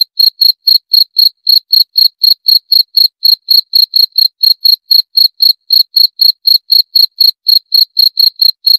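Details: Shrill, metallic cricket chirps repeating steadily about four per second for the whole stretch, each chirp brief and ringing, with a clean, silent backdrop.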